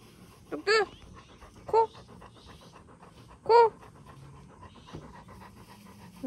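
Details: Young retriever at play after a bath, before a walk: three loud, strained whining yelps, each rising and falling, spaced a second or two apart over soft panting, and a woman's voice murmurs nearby.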